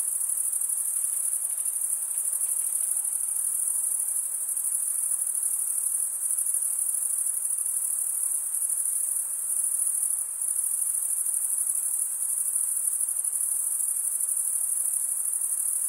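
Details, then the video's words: Crickets stridulating, the males rubbing one wing's toothed vein against the other, make a steady, unbroken high-pitched trill that holds evenly throughout with only slight dips, and no other sounds intrude. "cricket sound"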